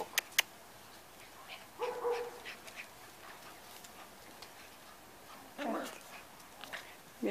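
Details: Eight-week-old Hungarian white Puli puppies give brief, high whimpering whines, with a person talking softly nearby.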